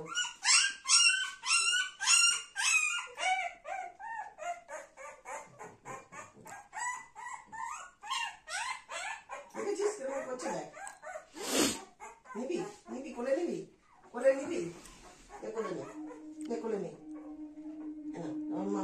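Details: Little Golden Retriever Dona together with mother Anna and her grandmother: a run of shrill, bending whimpers opens, then thinner whines and yips scattered among human voices, music and a sustained low tone near the end.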